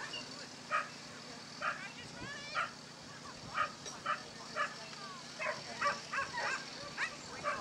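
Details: Basenji running a lure coursing course on 27 September 2015, giving short harmonic yelps and yips repeated roughly every half second to second, with a man commenting nearby and faint background hum.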